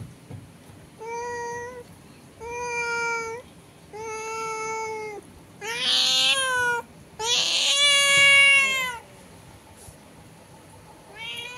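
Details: Domestic cats trade meows through a window, one indoors and a strange cat outside that has been calling for an hour; six loud, clear, evenly spaced meows, two harsher and wailing, with faint room hum between.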